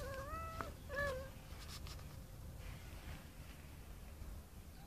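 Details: Two short meows in quick succession from a tomcat calling a female cat, the first level and held, the second clipped, followed by several seconds of low background hum.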